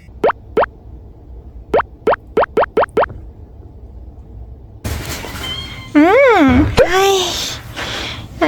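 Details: Munchkin cat named Rang, a house pet greeting its owner back from an outing, gives drawn-out arching meows with a rise and fall near the end, after a run of short cartoonish plop sound effects.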